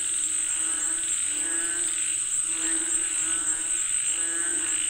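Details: Frogs calling for rain: a dense chorus of raspy, pulsing croaks rolling in overlapping waves, backed by a steady high insect-like buzz throughout.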